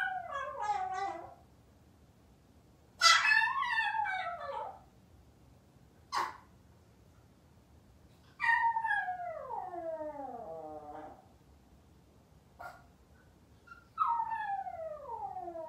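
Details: A Maltese waiting alone at home for its family lets out several descending howls, each starting high and sliding down, with a sharp click-like sound between them.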